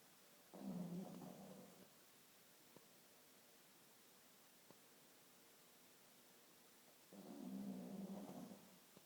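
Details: A sleeping pug snores: two low rumbling breaths about six seconds apart, each lasting over a second, with near silence between them.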